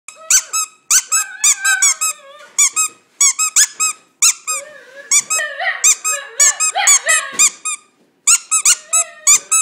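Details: Pet dog singing indoors in a small room: rapid bursts of high, squeaky, whining yips, several per second, broken by short pauses, with a few longer wavering whines in the middle.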